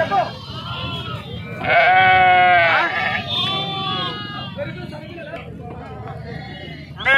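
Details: Bleating sheep during unloading at Pebbair market, Telangana, India: a loud burst of shaky, vibrating bleats after a quieter start, then lower overlapping calls tapering off, with a final sudden loud cry and some human voices.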